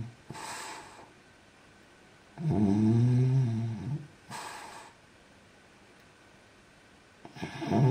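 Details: A sleeping French bulldog snoring: a deep, grating snore in the middle, framed by softer hissing breaths in and out. The breathing repeats every few seconds in a quiet room.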